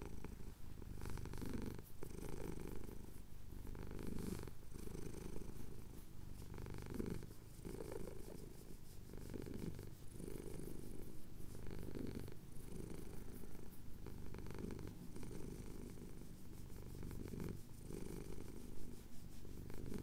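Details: Contented male house cat purring under chin scratches, Cotswolds, England, at sunrise; long even low purr with rhythmic swells about every two and a half seconds, each inhale and exhale audible.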